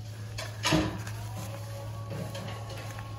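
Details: Background music plays indoors with a low hum and a single knock like a drawer closing, and no animal voice.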